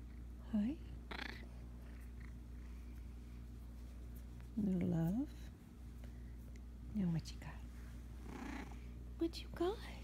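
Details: Blue, a talkative Russian Blue house cat, utters a series of short meows, some dipping then rising, others sliding down, with pauses of a few seconds between them over a constant low background hum.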